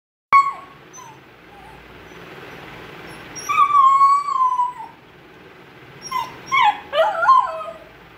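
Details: Indian Spitz puppy, female, crying while waiting for her mother; drawn-out whining cries, one long wavering whine then a burst of rising and falling yelping whimpers near the end, indoors with little other sound.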